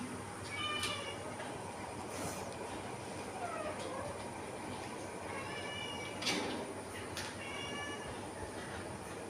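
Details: A cat gives several short harmonic meows spread across the recording, near the start, middle and later, over a steady rumbling, train-like background noise.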